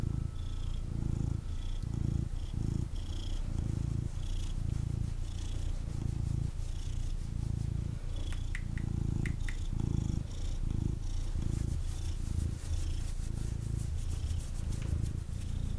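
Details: Male kitten wanting cuddles, purring loudly and continuously while held, a strong low vibrating rumble in quick breath pulses, with occasional rustles and clicks as he moves around.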